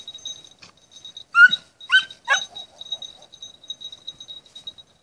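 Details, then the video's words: At night a 20-week-old red-bluetick beagle trains on hare, giving three quick, loud, rising yelps close together, then softer brief whimpers, with a thin steady insect tone running throughout. "red-bluetick beagle 20 weeks old hare pactice in the night"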